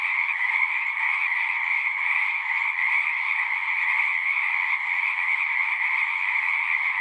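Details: Frogs in full chorus, a constant, densely packed trill sitting in two shrill bands, never pausing or fading over the seconds heard, no birds, wind or people.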